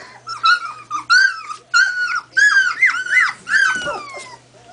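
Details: Quinn, a two-week-old female collie puppy in a box with her littermates, trying out her voice: a string of high, squeaky yelps and whines, each note bending up then down, in irregular bursts of about five.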